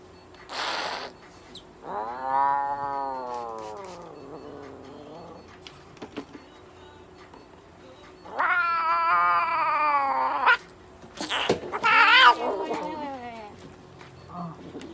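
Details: Russian Blue cat during veterinary treatment at an animal clinic in Nagoya, Japan, including light therapy, an injection, a moisturising tea tree oil spray and brushing; loud, drawn-out wailing meows of two to three seconds each, separated by pauses, with clicks and handling noises.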